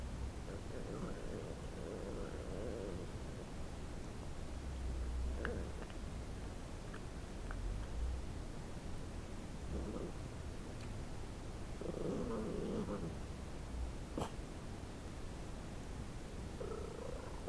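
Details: Shiba Inu named Cooper growling as he eats a piece of pork bone, guarding his food, recorded 9-7-10; low rumbling growls come in separate bouts every few seconds over a steady low background, with occasional clicks and rustling.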